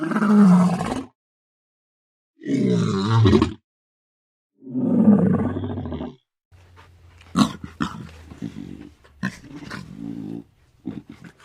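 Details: Roaring lion: three deep, rough roars about a second long, spaced roughly two seconds apart, followed by scattered faint clicks and rustling sounds.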